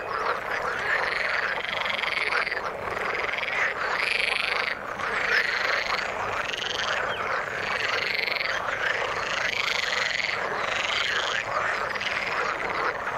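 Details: Frogs calling in the water: a dense, continuous chorus of overlapping croaks and rasping pulsed calls, with arched rising-falling notes recurring roughly every second over a steady wash of sound.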